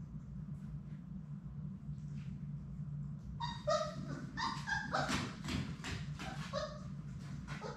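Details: Indoor play among Sadie's six Labrador Retriever puppies. After a few seconds of low rustling and thumps, a burst of squeaky, overlapping puppy yips and short barks breaks out, clustered and irregular, mixed with scrambling paw noises.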